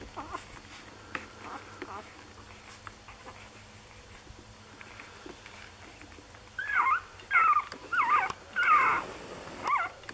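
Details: Lagotto Romagnolo puppies, six days old, from an A litter in Hamburg: faint murmurs at first, then five loud wavering whimpers in quick succession near the end, each a short rising-and-falling squeal, with low hum underneath.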